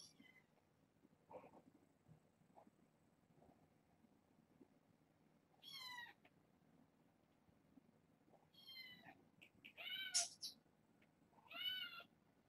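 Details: Kittens born August 29th to a family pet, six siblings of four females and two males, indoors: high thin meows with stacked harmonics come in short bursts near six, nine, ten and twelve seconds, with quiet room noise between.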